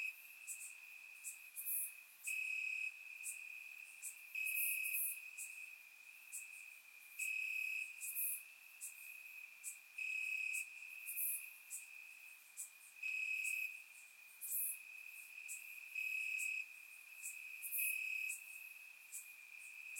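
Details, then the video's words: Crickets chirping in grass on a warm summer night in Bulgaria, recorded with a surround microphone: a steady high trill runs throughout, with louder chirp bursts about every three seconds and sharp, higher ticking notes layered above. "Cricket Sounds - Crickets Chirping at Night"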